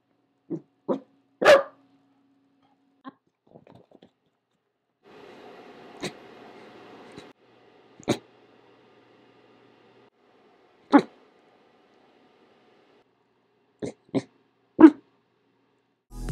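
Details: Corgi indoors, reacting to a noise heard outside: short, sharp barks, single or in quick pairs, spaced irregularly across the stretch, with a brief passage of soft music in the middle.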